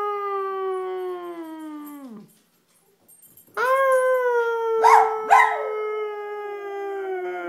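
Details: A dog howl tails off in a falling glide. After a pause a fresh level howl begins, broken by two sharp yipping bursts partway through before continuing steadily.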